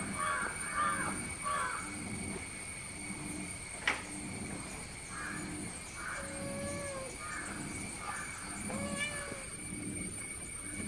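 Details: Kitten that climbed a tree to follow a playful male cat, calling outdoors: short rising meows repeated every second or so, some drawn-out and arching, over steady high-pitched hum and rural background noise.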